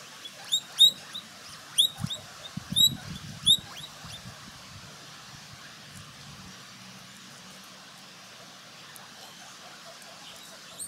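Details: A guinea pig eating vegetables such as celery, carrots and lettuce munches, with a handful of crisp, crunchy bites and clicks early on.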